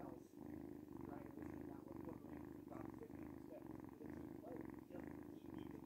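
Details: A noisy cat purrs close by, its deep buzzing rumble pulsing evenly in and out with each breath, roughly twice a second, without pause.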